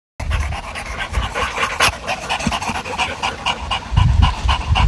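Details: An English Bulldog kept as a pet pants heavily, with rapid, rough, rhythmic breaths and snuffly low rasps close to the microphone.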